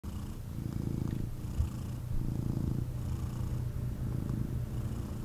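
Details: Male kitten purring intensely while picked up and cuddled by its owner; deep, low rumbling purr in rhythmic pulses, each swelling for about a second with brief breaks, plus a soft thump near the middle.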